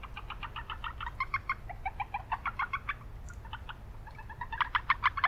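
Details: Japanese brown frogs calling in an urban wetland. Rapid runs of short clicking pulses repeat several times a second in overlapping series. A steady low rumble of background noise sits beneath them.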